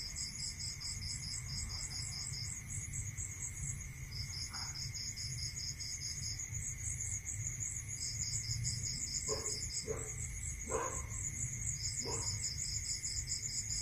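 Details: Crickets calling at night in a rural area: two overlapping high, rapid pulsed trills, one steady and one starting and stopping in bursts, over a constant thin whine and low rumble, with a few brief knocks near the end.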